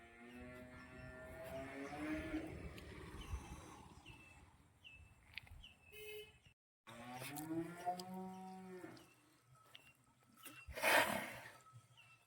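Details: Khillari bull tethered in shade at Bavdhan, Maharashtra, lets out two long, deep moos, the first sliding downward, the second rising then falling, with bird chirps in between and a sharp loud burst near the end.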